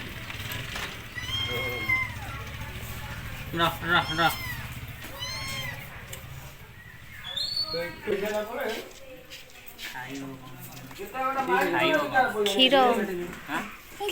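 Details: Kitten crying while looking for its mother, indoors: a run of high, thin, arched meows with rising-then-falling pitch, several in quick succession, mixed with people talking nearby and some background music.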